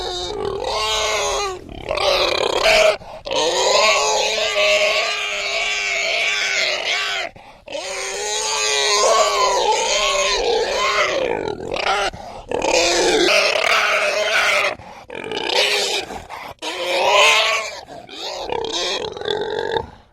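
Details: Domestic pig squealing in long, loud, harmonic screams lasting two to four seconds each, separated by short pauses, with wavering pitch and rough edges throughout.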